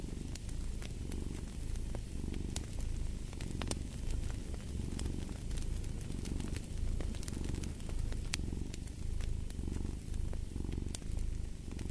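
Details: Cat purr by a crackling fireplace, a deep throbbing rumble pulsing in regular breath cycles of roughly two seconds across the whole stretch, overlaid with frequent bright pops and crackles from the fire.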